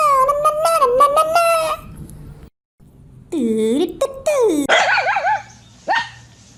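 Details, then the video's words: A dog howls in long, quavering tones: one sustained wavering note lasting almost two seconds, then after a short silence several shorter howls that swoop down and rise again, ending with a brief sharp cry. "Best Dogs howling and Barking"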